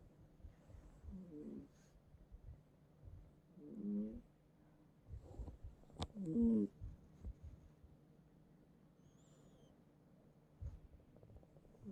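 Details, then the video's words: Bongbong, a domestic cat asleep in its owner's bed, snores noisily: separated raspy, rattling snorts every two to three seconds, one louder burst midway, with faint bedroom rustling and a sharp click. "고양이 코골이 실화냐?"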